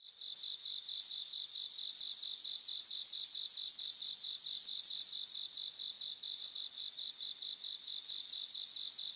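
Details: Bell crickets in a grassy field in Japan give high, bell-like ringing bursts that swell and fade roughly every second, layered over a continuous stream of fast pulsed chirps from other insects.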